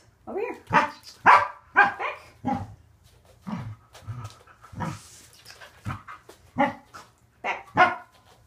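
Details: Corgi Waffle vocalizing through a training session: a steady run of clipped barks about two per second, uneven in loudness, with a person repeating "back" and praise between them.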